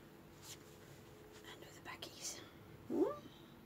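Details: Pet cat, one of two named Ruby and Lugosi, having its claws clipped indoors; soft whispering and faint clicks, then one short rising, tonal meow near the end.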